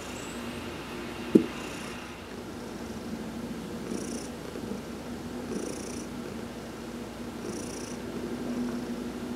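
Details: Steady low purring from Heidi, a cat enjoying a massage while sunbathing, November 19, 2020; one sharp click early on, then soft high hissing bursts repeating about every one and a half seconds over the purr.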